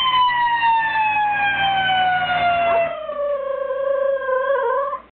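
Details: Dog howling along with a passing fire truck siren: a smooth tone slides steadily downward, then a wavering, harmonic-rich howl holds and quivers until it cuts off abruptly.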